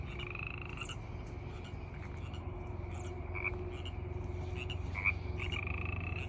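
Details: Frogs calling in a steady chorus, with low continuous croaking and higher repeated chirping notes around two per second, plus a sustained whining tone in the background.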